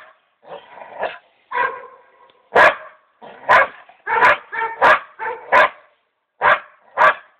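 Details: Female dog reacting to a mouflon head with hide kept for taxidermy, mixing drawn-out whining yelps with loud, harsh barks that come in uneven pairs and singles, getting more forceful toward the middle.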